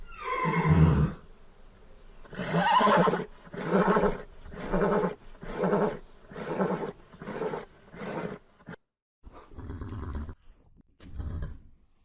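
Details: Horse neighing: a falling, harmonic cry opens, then a run of about eight loud, rough, pulsed bursts spaced roughly every half second, ending with two softer bursts after a short gap.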